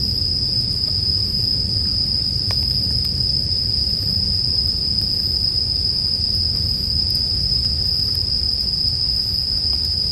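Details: Bell crickets mixed with a crackling bonfire for sleep background sound: a steady, high, ringing insect drone holds one pitch throughout, over a low rumbling fire bed with occasional sharp pops.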